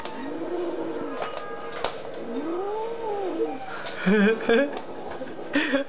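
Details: Domestic cat playing with a sock indoors gives two drawn-out, arching meows that rise and fall, then scattered shorter cries, with a woman speaking French and soft music behind.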